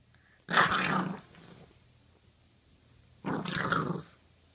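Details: Puppy making two rough growling bursts about three seconds apart, each lasting under a second, in a quiet indoor setting.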